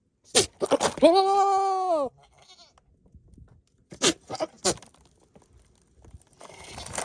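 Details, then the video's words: Flirting male Nigerian Dwarf goat near the females: a loud one-second nasal bleat, flat then falling at the end, framed by harsh snorting bursts and clicks. "What do goats sound like when they flirt?"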